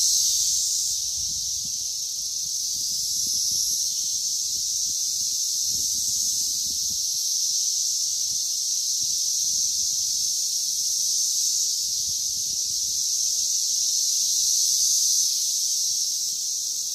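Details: Singing swarm of Brood XIII periodical cicadas, largely Magicicada cassini plus some M. septendecim, mating and ovipositing in a Green Ash at Danada Forest Preserve, Illinois, May 31, 2024; a relentless high buzzing wall of sound with gentle pulsing swells.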